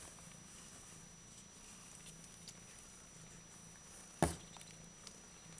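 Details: Bengal cat purring quietly: a soft, steady low rumble that runs unbroken through the whole stretch, with faint room hiss and one short knock or tap near the end.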